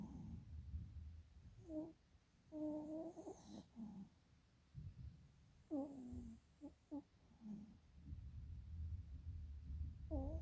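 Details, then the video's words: Dog asleep with eyes rolling, breathing heavily with scattered short squeaky, whimpering snore notes and low rumbling breaths in a quiet room. "Snoring dog with eyes rolling"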